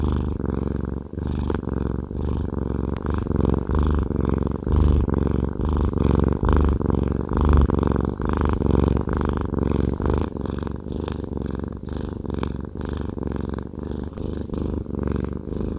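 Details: Fluffy male cat Haku purrs during a massage indoors, a low throbbing rumble sustained throughout with faint breath breaks and some rustling of handling, growing slightly louder midway.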